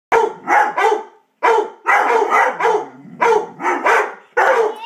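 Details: Two pet dogs barking excitedly indoors after seeing another dog outside; loud harsh barks in quick bursts of two or three, with short pauses between bursts.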